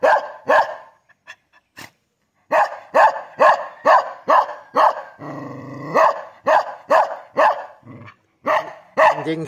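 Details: Kintamani dog, Bangli, Bali, barking rapidly and fairly steadily, about two barks a second, broken midway by a short throaty growl, then more barks and a closing growl.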